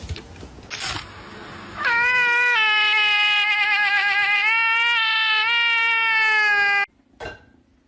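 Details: Domestic cat from a funny compilation giving one long, drawn-out yowl that holds an almost level, strongly harmonic pitch for about five seconds, preceded by brief clatter and ending abruptly.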